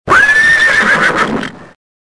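A horse neighs loudly, the call climbing fast to a high, sustained pitch. It then wavers and trembles into a rougher, fading whinny lasting under two seconds.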